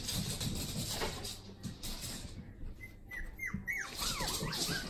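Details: One-month-old puppies in their play area, giving high, thin whimpers that slide downward in short squeaky bursts near the end, over a steady low hum and soft rustling.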